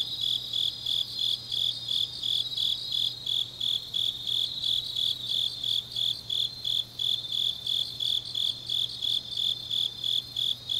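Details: Grass insects on a deep autumn night in Changnyeong, South Gyeongsang, South Korea: high, shrill chirps pulse about three times a second. Fainter, higher trilling from other insects lies over them, with a steady low hum beneath.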